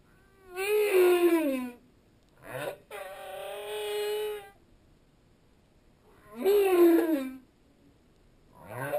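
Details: Song of a humpback whale recorded underwater. Two loud, falling, harmonic moans are separated by a quick sweep and a long, buzzy, steady tone. A rising chirp closes the sequence.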